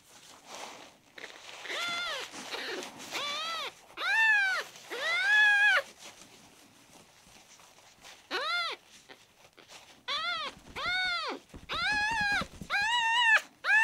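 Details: A sick male kitten, red tabby and white, rescued at one day old and refusing his milk, meows in loud, drawn-out arched cries, first spaced apart, then coming in a quicker string of shorter calls near the end.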